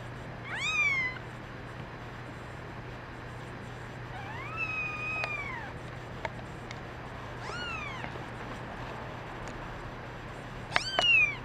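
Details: Several kittens, including a brown mackerel tabby and white female, mewing in a series of four or five short and long cries with curved, bending pitch, separated by pauses, with light clicks and a low hum behind.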